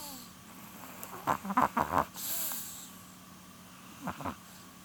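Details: Polun, a female Chihuahua nearly twelve years old, snores while sleeping, her eyelids not fully closed; a quick run of short snuffling snorts gives way to a soft breathy rush, then two more snorts, over a steady low household hum.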